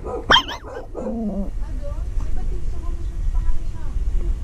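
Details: Small Shih Tzu–Maltese cross dog giving one sharp high bark, then a short falling harmonic howl of about half a second, followed by quieter faint vocal traces over low background rumble.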